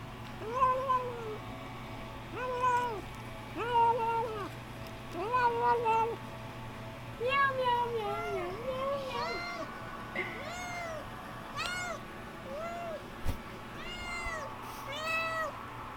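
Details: A small male kitten making odd sounds while eating: short nasal, arching mews repeated every second or two, growing higher and more strained later, over a steady low hum.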